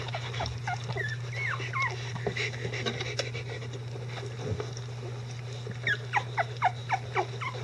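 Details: Icelandic Sheepdog puppies, eleven days old, with their mother and grandparents during clean-up; high thin squeaky whimpers and rising-falling squeals come in scattered bursts, a cluster of short chirps near the end, over a steady low hum.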